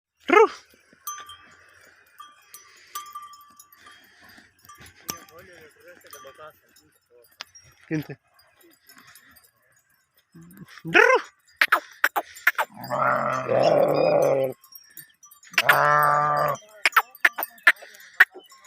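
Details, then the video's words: Sheep herd during mating: scattered short sharp cries and clicks, then two loud, long, buzzy bleats of about a second and a half each, rich in stacked harmonics, with faint high tones in the background. "sheep herd sound effect / sheep mating"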